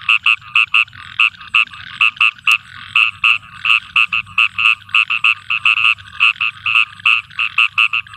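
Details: At night in a rainy field, a frog repeats sharp, twangy croaks almost continuously, grouped in rapid runs of two to four with brief gaps, roughly thirty-five notes in eight seconds, over a faint low rumble.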